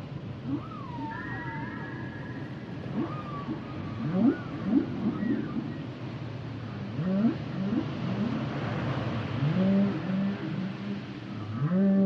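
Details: Humpback whale song underwater: low moaning units and swooping upsweeps repeated every second or two, with higher wavering whistles and gliding tones above, over a steady low rumbling background.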